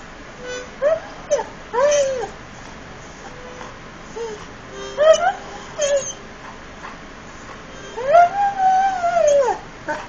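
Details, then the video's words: Frebie the Irish Setter sings indoors, giving a series of arched, rising-then-falling howls, some brief and broken, ending in one long sustained wavering howl, over a low steady tone. "Irish Setter Sings"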